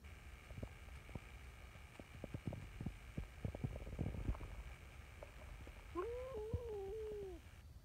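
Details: Talkative brown tabby community cat Nyahha, seeking affection at a cat gathering: a series of low, soft thumping pulses, then one long, wavering, whining meow near the end.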